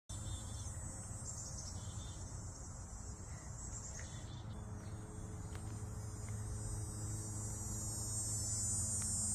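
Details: Dog-day cicadas drone in summer, a high, steady, shimmering buzz over a low background hum.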